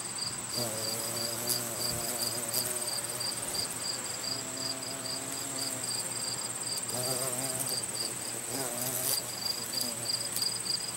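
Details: At a botanical garden on 3 September 2020, a carpenter bee collecting pollen gives a low, droning buzz that rises and fades in bursts over a steady high chirring of crickets.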